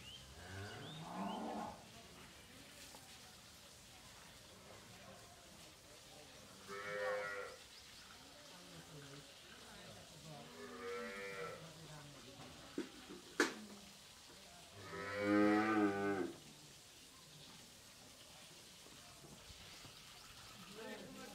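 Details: Young heifer calves, 13 to 14 months old, seven of improved breeds on a farm in Pabna, Bangladesh, give three separate harmonic moos spaced several seconds apart, the last longest, amid quiet background noise and a sharp click.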